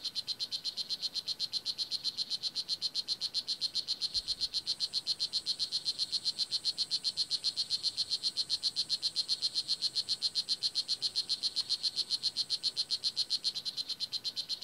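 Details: Full-grown male blue jeans poison dart frog on a Nicaraguan rainforest floor, singing to a mate or to warn off other males: a rapid, steady train of high buzzy chirps, about four per second, running unbroken throughout.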